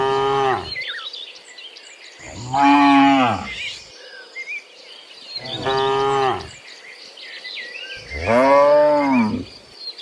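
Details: Tame cattle running about in a forest, lowing four times at roughly two-second intervals; each moo is a deep, harmonic, drawn-out call with a slight rise and fall, with faint chirping insects and birds high behind.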